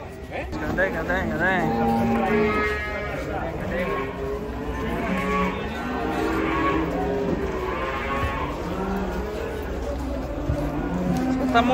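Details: A troop of cattle coming down off a truck, one of them turning wild; overlapping drawn-out moos with rich stacked harmonics, rising and falling, sounding almost without pause, with faint human voices underneath.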